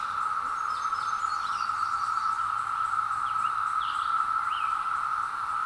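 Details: A 17-year periodical cicada emergence heard from a wooded hill on a Zoom H2: one continuous, even buzzing hum holds throughout, with a few rising bird whistles and chirps layered higher over it.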